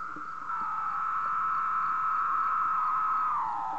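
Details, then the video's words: Male cicadas singing at 3 am on a moth sheet at night, the sound made by vibrating drum-like tymbals on the abdomen; a steady, sustained tonal drone that holds level for several seconds, then dips slightly lower near the end. "M Cicada SING on sheet"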